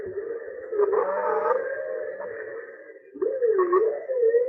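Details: Humpback whale; song; males singing in the mating season and along migration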